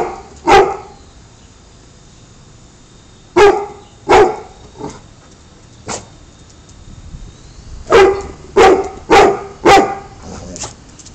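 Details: Spartacus, a male American Pit Bull Terrier, barks in irregular bursts: a single bark, a pair, a softer one, then a rapid run of four forceful barks and a fading yip, over a low steady hum.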